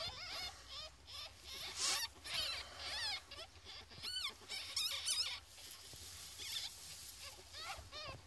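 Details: Ferret kits, fourteen days old, give rapid bursts of thin, high squeaks that rise and fall, clustered in quick runs and broken by brief pauses, over faint rustling and scratching.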